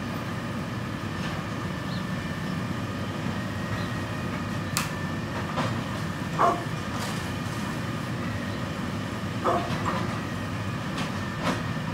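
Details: A rumbling train clatters along the rails with a steady low drone and a few sharp metallic clicks and squeaks, and no animal voice stands out.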